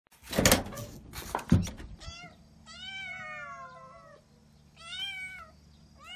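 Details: Kittens indoors giving a few high, harmonic meows that fall slightly in pitch, each about a second long, after loud thumps and bumping noises at the start.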